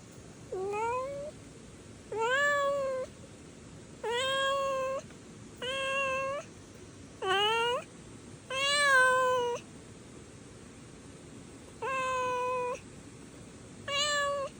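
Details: Stray kitten named Bori meowing eight times over about fifteen seconds, each call a clear, harmonic-rich mew lasting under a second and often rising slightly, spaced roughly one and a half to two seconds apart, with soft background hiss and no other voices.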